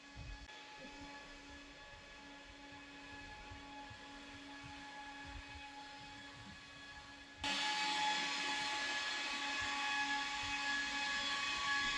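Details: Steady mechanical hum with a faint tonal whine and broadband hiss, jumping sharply louder and brighter after about seven seconds; no animal voice stands out.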